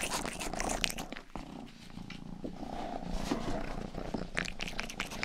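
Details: Pet cat Rang-i, the household's youngest, purrs in a low continuous rumble while grooming the microphone's ears, with wet licking clicks and brief crackles scattered through the purr.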